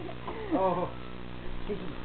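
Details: Shakey, a pet cat, mews while playing fetch: one clear arched meow rising then falling over about half a second, then a short faint mew near the end, over a steady low room hum.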